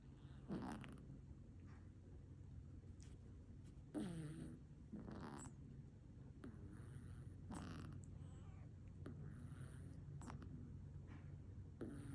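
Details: A cat snoring softly indoors: raspy breath bursts recurring about every one to two seconds over a steady low rumbling hum, quiet throughout.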